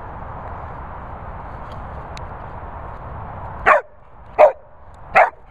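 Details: A Labrador barking: after a stretch of steady background hiss, three short, sharp barks arrive in the last two seconds, spaced a little under a second apart.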